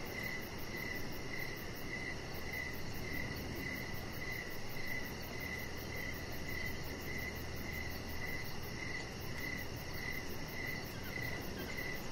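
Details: Crickets chirping in the evening beside a deck lit with decoration lights: short bright chirps repeated about twice a second in a steady rhythm, over a fast faint high pulsing, a low steady hum and constant broadband background noise.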